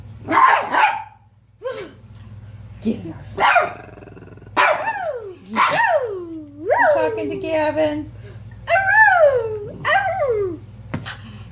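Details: Several dogs give a string of drawn-out, yelping barks, each one sliding downward in pitch with clear overtones, spaced about one to two seconds apart, over a steady low hum.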